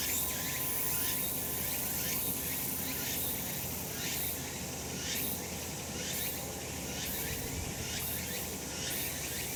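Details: Summer mountain cicadas in the sun, their shrill buzzing chorus throbbing in regular surges about once a second over a constant hiss and faint low rumble.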